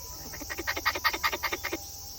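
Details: Wild squirrel visiting a house, calling just after coming out of the grass: a quick run of about a dozen harsh, clicking chucks over roughly a second, swelling then fading, with steady background hiss.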